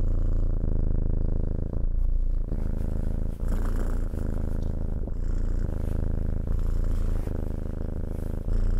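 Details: Close purring of a cat, low throaty rumble with even vibration, short breaks where the purr switches between inhale and exhale.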